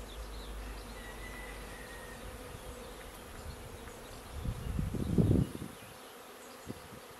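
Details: Many honeybees of an arriving swarm entering a bait hive on 19 May 2021; a continuous low humming drone, a short thin whistle early on, then a louder rustling, thumping burst near the end.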